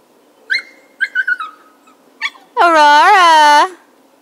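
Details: Siberian Husky puppies almost six weeks old, Jazmin, Aurora and Nikita, give a few short high yips, then one long wavering howl-like whine of about a second, rich in overtones and rising and falling in pitch.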